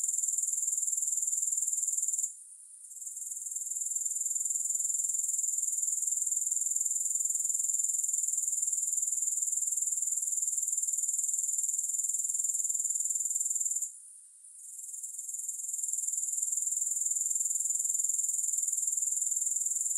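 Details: Grasshopper sound as an unbroken sizzling high trill with a regular pulse near four beats a second, interrupted twice by a short quiet dip before returning at full strength.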